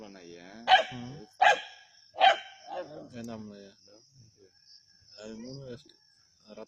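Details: Native dogs at Keezhadi, hunting a snake: three sharp, loud barks in quick succession about three-quarters of a second apart, followed by people talking nearby.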